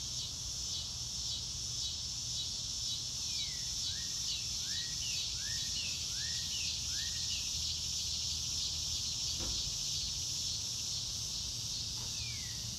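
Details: A dense cricket chorus under a blue sky fills the air with a high, evenly pulsing trill. A bird adds a run of five swooping, rising-falling whistles, and a soft click falls near the end.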